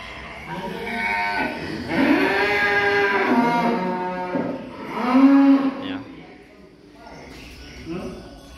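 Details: Cattle being taken to a contest in Boyolali, Indonesia, give two long, low, drawn-out moos, each rising then falling gently, with faint voices and music in the background.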